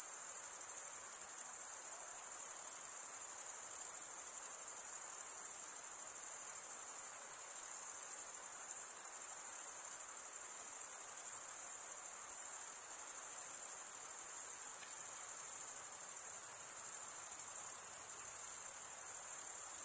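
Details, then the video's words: Crickets chirping at night in a summer forest: a continuous, very high-pitched shimmering trill that stays level and unbroken for the whole stretch, with no pauses and no other sounds heard. "Pure cricket music"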